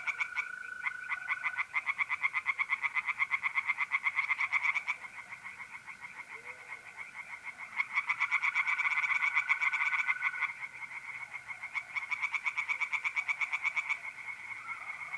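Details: Pond tree frogs singing at night in mid-April, north-east Italy: long runs of rapid rhythmic croaks from several frogs, easing off then building again, set against the constant high trill of mole crickets.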